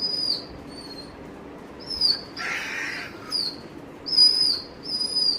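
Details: Eager Dobermann anticipating its owner's return, letting out a series of thin, very high-pitched whimpers, each short and dropping slightly at the end, with one breathy noisy squeal midway.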